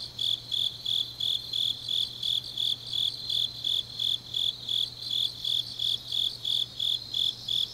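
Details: Grass insects on a deep autumn night in Changnyeong, South Gyeongsang, Korea: a high, steady chirping pulsed about three times per second in an even rhythm, with a faint low hum underneath.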